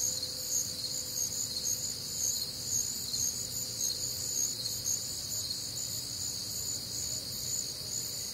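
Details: Night chorus of crickets recorded on a warm, humid summer night in the Midwest: steady shrill trilling in stacked high bands, pulsing about twice a second, over a soft low drone.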